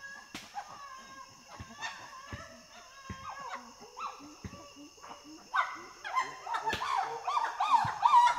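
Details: Chimpanzee pant hoot building toward loud screams and barking: breathy rhythmic pants with hooting tones rising in pitch and intensity, becoming dense, loud and harsh in the final seconds.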